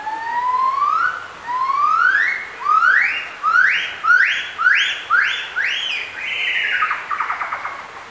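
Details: Gibbons duetting at Bioparc Fuengirola: rising whooping notes start low and slow, then quicken and climb higher with each call, about ten swelling whoops, ending in a fast wavering trill.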